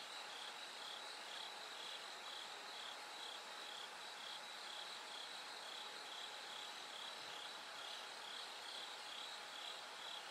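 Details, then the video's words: Ringing pulses of a bell cricket in the night, light slowly returning: high-pitched, bell-like bursts repeat about twice a second without pause, with a second caller faintly interleaved and constant background hiss and hum. "bell cricket Cry of falling insects It gets brighter gradually from the night"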